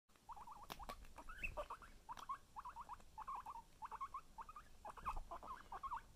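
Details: Guinea pig, a son trying to steal his mother's cookie: soft, quick squeaky chirps in short bursts of two to four notes, repeated steadily over several seconds, with light rustling and tapping in the background.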